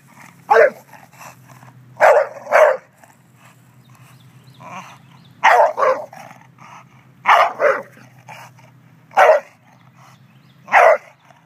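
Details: An English Bulldog, seemingly jealous of a statue, gives short, gruff barks, singly and in pairs, every second or two.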